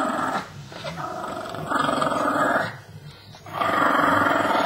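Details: Small female Shih Tzu, pet indoors, turning grumpy while guarding a real bone; long, rough, rumbling growls in two swelling waves with a quieter break between.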